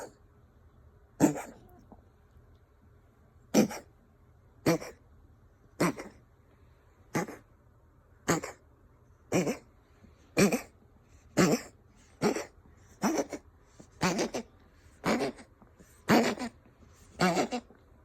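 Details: A Ragdoll cat coughs and wheezes in short, harsh bursts about once a second; the owner is unsure whether it is a hairball or illness.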